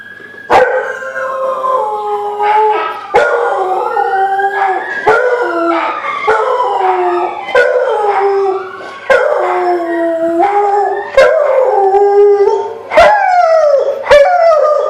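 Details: Rottweiler; howl; howling in response to an ambulance siren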